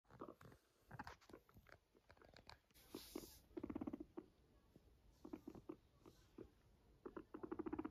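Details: Fluffy pet guinea pig making short bursts of low, pulsed purring, with brief rumbling trains near the middle and at the end, between scattered soft clicks and rustles.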